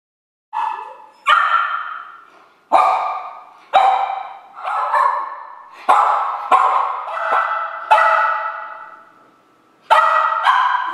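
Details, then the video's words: Two-year-old Maltese poodle cross (Maltipoo) with severe separation anxiety barking while apart from its owner: sharp, high, repeated barks, about nine in eleven seconds, each ringing on with a long echoing tail in a reverberant room. "Maltipoo: Separation Anxiety"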